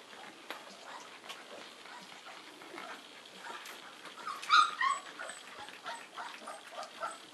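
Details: Three-week-old St. Bernard puppies nursing at a breeding kennel, giving a few brief, high squeaky whimpers in the middle among soft shuffling and suckling noises, with a person speaking French just before.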